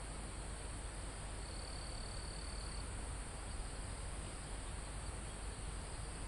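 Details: Crickets and insects in a calm forest close to a mountain top, recorded live: a continuous thin high insect hum, one shrill trill lasting just over a second, and a steady low wind murmur through the trees.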